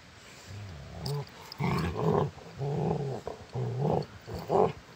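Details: Rottweiler; play growls; play fighting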